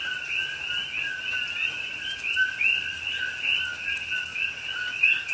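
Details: A dense night chorus of coqui frogs in Hawaiian rainforest at Pahoa in October 2021, their high chirping notes merging into a steady ringing over falling rain.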